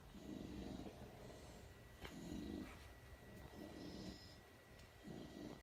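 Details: Several dogs asleep indoors in an office, snoring: low, rasping drawn-out breaths about every second and a half, each swelling then fading, with a faint steady electrical whine behind.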